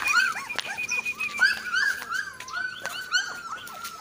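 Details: Golden-coloured pure Labrador puppies offered in Jhansi; repeated high, thin whining squeals that rise and fall, several overlapping, continuing steadily with a few sharp clicks, indoors.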